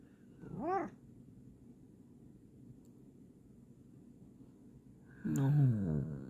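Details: Bengal cat indoors giving two meows: a short rising-falling harmonic call, then a longer, louder, lower meow about five seconds later, with a quiet room between.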